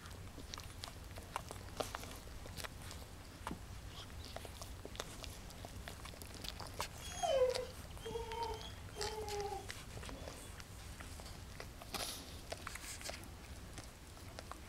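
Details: Newborn puppies one day old, born on 19 January 2012, give a few thin, high whimpering squeaks, some gently wavering, in a quiet indoor setting with low background hum and faint rustling.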